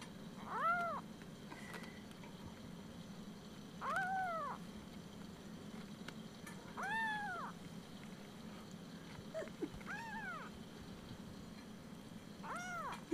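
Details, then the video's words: Ursa, a chatty Siamese kitten almost four weeks old, woken early in the morning, meows repeatedly: five clear arched high meows spaced roughly every three seconds, plus a small chirp, against a low indoor hum. "Ursa the chatty 4 week old kitten."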